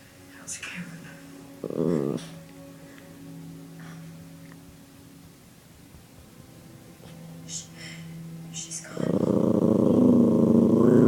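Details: Puppy growling in anger while being teased indoors: a brief rough growl early on, then a loud, sustained low rumbling growl over the final two seconds, with people talking quietly in between.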